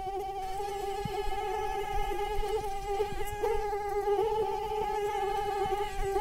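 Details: Continuous nasal whine of mosquitoes, an even high-pitched drone rich in harmonics, with slight wobbles in pitch and soft ticking noises beneath.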